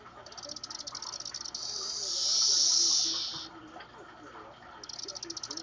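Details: Captive periodical cicadas (Magicicada tredecassini), recorded from above their cage, chorus synchronously after playback of their own calls: a high, hissing buzz that swells loudly, then breaks into rapid pulsing.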